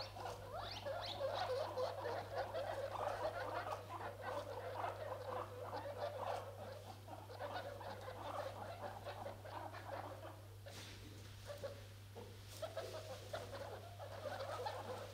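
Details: Four newborn guinea pigs, a day after birth on their first outing and staying close together, keep up a quick run of high chirping squeaks and soft chattering notes, several each second, over a low steady hum.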